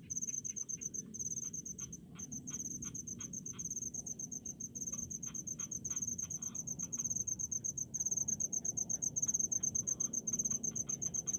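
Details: Crickets calling in rice fields in the countryside: a steady, high, shrill pulsed chirping runs throughout, with fainter lower ticking insect pulses underneath and a soft low rumble of background noise.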